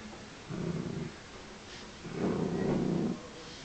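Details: A female Miniature Dachshund given a pig's ear gives two low, rumbling growls, the second longer and louder, warning off anyone near her chew.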